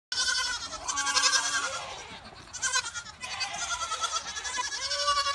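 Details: Goats caught in the rain, which they are said to hate even in a few drops, giving loud, wavering bleats: one long quavering cry, a short pause, then further trembling bleats running to the end.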